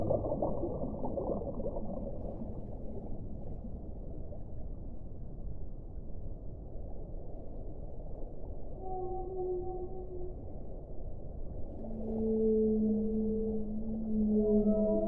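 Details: Whale song: after several seconds of steady low hiss, drawn-out tonal moans in layered harmonics rise and fall, growing louder toward the end.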